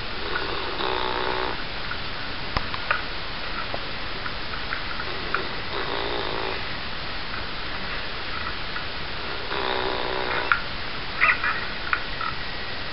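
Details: Pippa, a female Labrador Retriever, snores in her sleep, recorded on a DVD camera: raspy, rattling snores with a buzzy layered texture, about every four seconds, over a steady low background hiss.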